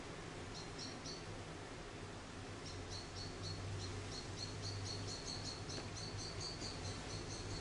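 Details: Charlie, an orphaned baby grey squirrel about a week old, found fallen from its nest in a garden and being hand-reared, gives thin high squeaky chirps: a few pairs and triplets first, then a quick run of repeated squeaks over a low steady hum.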